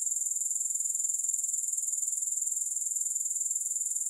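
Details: Grasshopper sound alone, no music: a tight, very high-pitched trill with a clearly audible rapid, regular pulse, steady in loudness throughout the short stretch.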